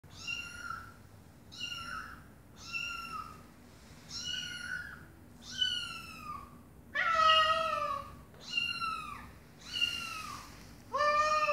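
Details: Domestic cat mother talking to her kittens: a steady series of high, slightly falling meows, one roughly every second, with a few louder, fuller calls near the end over a faint low hum.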